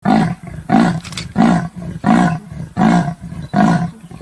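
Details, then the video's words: Leopard calling with a deep, hoarse rasping sound, six rough strokes repeated evenly about every 0.7 seconds, each a sawing breath like a heavy engine. "The sound of the leopard is like a large displacement engine"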